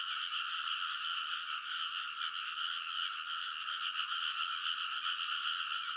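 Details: Frogs in a loud chorus on the ridges of a rice paddy in Konosu, Saitama, Japan, at midnight in early summer, recorded on a TASCAM Portacapture X8: dense, continuous overlapping trilling croaks in two steady bands, no gaps.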